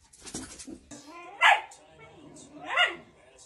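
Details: Dog described as angry, in a collection of funny dog reactions: two loud, harsh barks more than a second apart, with a person talking quietly beforehand.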